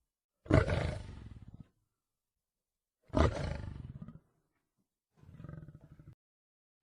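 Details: Lion in the wild, two strong low roars about two and a half seconds apart, each trailing off into rumbling, followed by a softer, quieter grunt.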